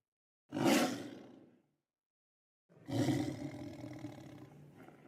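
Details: Lion. A lion gives two powerful roars, each a deep, gravelly burst that swells and trails off. A brief silence separates them, and the second one fades more slowly into a rumbling growl.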